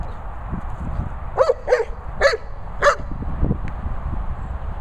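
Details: Young Labrador Retriever producing four evenly spaced, bright yappy barks roughly half a second apart, against constant low background rumble.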